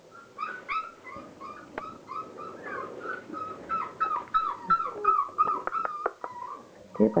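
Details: Thirty-six-day-old Border Collie puppies at play give a chorus of high whining whimpers and yips, some wavering or sliding, irregularly spaced and growing busier toward the end, with scattered clicks and soft background noise.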